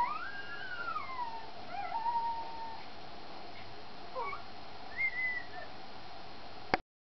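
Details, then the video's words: Puppy whining softly while Cha Cha feeds, thin high whimpers gliding up and down, a few short squeaky notes scattered across seven seconds over a faint steady hiss. "Cha Cha feeding -listen to the puppy sounds"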